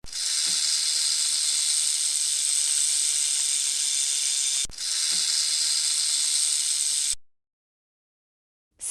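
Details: A long, continuous snake hiss, a dry, breathy rush that runs several seconds, pauses for a moment and starts again before cutting off into silence.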